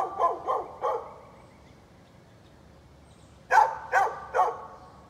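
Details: Dog next door barking on 13 November 2020, owners letting it go on: three quick barks, a silent pause of over two seconds, then three more loud, sharp barks.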